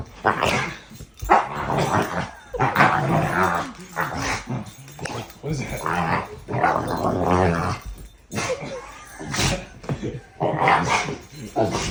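An American Bully dog lets out rough, throaty growls and strained, moaning grumbles that come in uneven bursts a second or two long. A person's voice talks over the dog at times.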